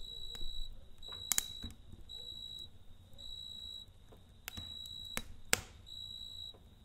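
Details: Cricket chirping at night beside a campfire: high, pure trilled bursts of about half a second, repeated in an uneven rhythm, broken by sharp crackles and pops from the burning fire.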